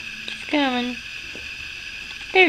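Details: Puppies two weeks old, their eyes newly open, indoors at morning: a half-second whine sliding gently downward, then silence, then another brief rising squeal at the very end.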